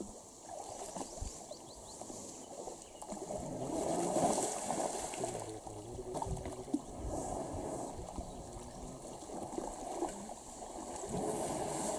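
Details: Quiet trickling and gurgling water with faint outdoor noise and soft knocks, with no animal call heard.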